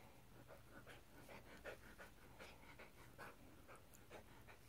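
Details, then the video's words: Cruz, a Miniature Poodle puppy in the care of a small-dog rescue, panting during play: quick soft breathy puffs in uneven bursts, several per second, over a low steady indoor hum. "Puppy play by Cruz Mini Poodle"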